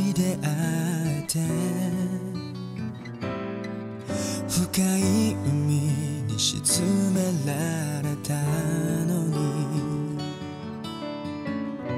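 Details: Gentle guitar-led music plays throughout, soft and lullaby-like, with no animal sounds.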